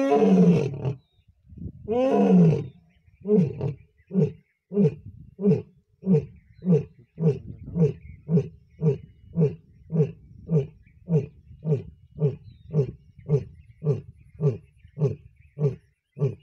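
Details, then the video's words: Lion roaring at Deulghat, Buldhana: two long, deep moaning roars open the sequence, followed by a steady run of short, throaty grunts, roughly two per second, continuing to the end. "Roaring of Lion"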